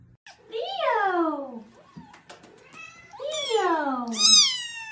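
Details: A cat indoors gives two long meows that slide steadily downward, then a short, high, rising mew at the end, with a human voice faintly in the background.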